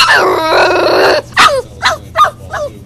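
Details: Hugo, a Boxer puppy left in his crate during crate training and upset when left alone: a long loud harmonic whine followed by three short rising-falling yelps.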